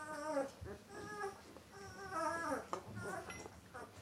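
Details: White Swiss Shepherd Dog puppies, 13 days old, giving overlapping high, tonal whines and squeals. The calls come in short rising and falling bursts, several at once, with faint background rustling.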